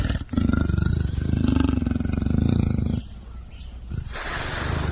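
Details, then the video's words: Low, throbbing roar of a leopard, a rough pulsed rumble held for about three seconds. A quieter gap follows, then a hissing, breathy rush closes the sequence. "LEOPARDO RUGINDO - SOM DO LEOPARDO - BARULHO DO LEOPARDO"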